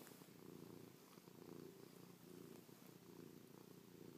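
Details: Chloe, a pet cat, purring right against her owner's face after a night asleep on their back, kissing, pawing and licking; a steady low rumbling purr swelling and easing in slow breaths, close and continuous.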